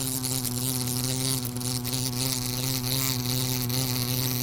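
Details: Continuous loud buzzing of a wasp: a dense, low, even hum with strong overtones and slight flutters in loudness, and no other sounds.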